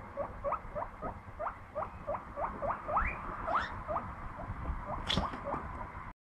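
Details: Guinea pig going out to play; a rapid series of short rising squeaks repeats about three times a second, a few sweeping higher, over a soft background hum before an abrupt stop.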